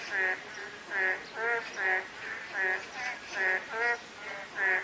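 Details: Croaking frogs during light drizzle, with rich, reedy croaks pulsing at an uneven beat of about one every second, set against a constant gentle rain hiss.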